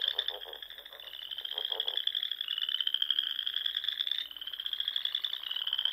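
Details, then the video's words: Spring dusk chorus of frogs by ponds in the Nebraska Sandhills. Continuous high pulsed trills rise gently in pitch, with a lower rattling pulse series near the start and a brief break before another trill. "RELAXING SOUNDS OF FROGS"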